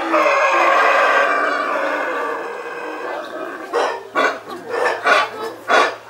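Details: Howler monkeys in Belize give a long, rough, roaring howl that slowly fades over three seconds, followed by a series of shorter pulsed grunting roars about every half second.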